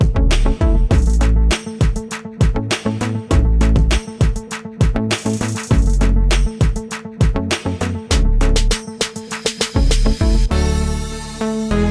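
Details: Upbeat rhythmic music with a strong bass beat and percussive hits plays throughout, with no animal sounds.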